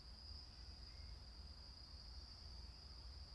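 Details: Insects chirping at night, heard from inside the ondol room of a traditional hanok in Daejeon, South Korea, with a gentle night breeze; a continuous high, even trill sits over a soft low rumble.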